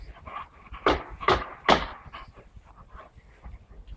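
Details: Saint Bernard named Hammer: three short, low, gruff barks in quick succession about half a second apart, then quieter huffing and background rustle.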